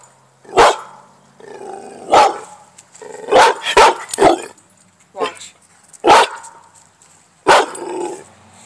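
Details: Pit bull puppy barking while playing: six sharp, loud barks spaced irregularly over several seconds, some in quick pairs, with softer growly sounds between and a person's voice nearby.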